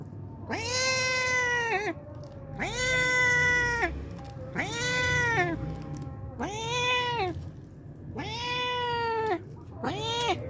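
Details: A hungry homeless cat visiting daily to drink milk gives a run of six long, loud, harmonic meows, each steady then dipping at the end, spaced about every two seconds, with a low background hum.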